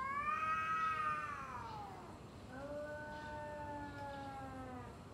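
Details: Two domestic cats trading yowls ahead of a fight: a loud wavering moan that rises, then sinks and breaks off, followed by a second long, level, gradually falling wail.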